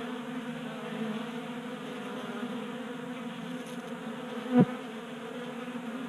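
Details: Honey bees feasting at a 3D printed feeder in a Colorado garage in January, staying active in late warmth; continuous low buzzing hum with one brief louder click or tap near the end.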